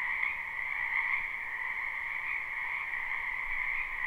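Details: A short stretch of spring wetland frog croaking, live and unlooped: dense overlapping trills blend into a bright, unbroken buzzing drone at two pitches, gently rising and falling in intensity.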